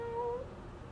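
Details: A cat gives one brief meow, a steady tonal note lasting under half a second that lifts slightly at its end before fading into quiet indoor background hum.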